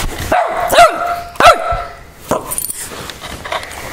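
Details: An angry Boston Terrier gives a few sharp, tonal barks with rising-falling yelps, spaced irregularly.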